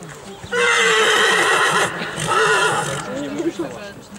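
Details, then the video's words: Silesian stallion presented to a breeding commission lets out a loud, harmonic-rich whinny of about two and a half seconds with a brief break, hoof clatter and background voices. "ogier śląski Ratan"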